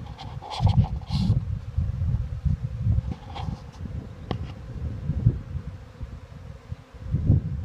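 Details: A swarm of western honey bees moving into a vacant hive hums in a low, steady drone, with soft thumps and rumbles over it.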